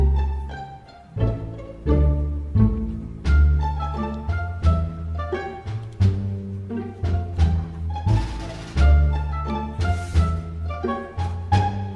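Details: Plucked and bowed string music with deep bass notes plays throughout, and no barking or other animal sound comes through.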